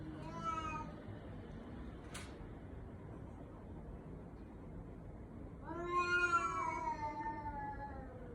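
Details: Cat meowing in a manner compared to a human baby: a brief soft meow opens, a sharp click breaks the quiet, then a longer, louder wailing meow slowly falls away near the end.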